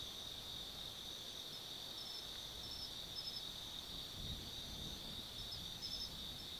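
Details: Autumn night insect chorus in the woods of Tsukimi no Mori, Nanno-cho, Gifu, Japan: a constant high shrill trilling with scattered short chirps and a couple of soft low thumps in the background.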